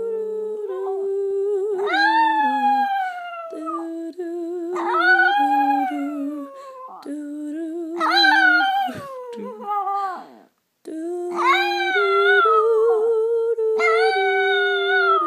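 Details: Chico, a 5-year-old pet Chihuahua, howling along indoors to a person singing Christmas carols: rising then falling wavering howls in bursts every few seconds, laid over the person's steady held notes, with one brief pause.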